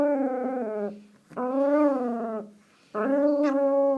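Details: Teacup Chihuahua named Precious growling out the window, gremlin-like noises: three long, tonal, whining growls, each held about a second, steady in pitch with slight rises, separated by short pauses.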